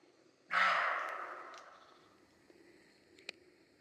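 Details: A European roe deer in Grójec County, Mazovia Province, Poland, in July 2015, gives a single harsh, hoarse bark that fades away in a ringing echo.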